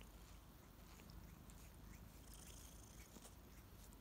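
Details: Kittens Ariel and Bear waking up in the morning with big purrs and licks; a brief low rumbling purr, dense and steady, mixed with light licking and rustling noises.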